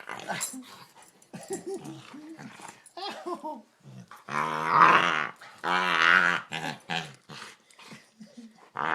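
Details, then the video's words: Pet dog making strange frog-like croaking noises when its chin is touched, indoors; short rough growly bursts with stronger drawn-out harmonic croaks in the middle, mixed with human speech. "Strange dog makes frog noises"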